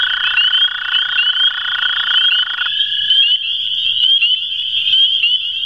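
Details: Two American toads (Anaxyrus americanus) give long, steady, musical trills, one slightly higher in pitch than the other, on a farm on April 21, 2016.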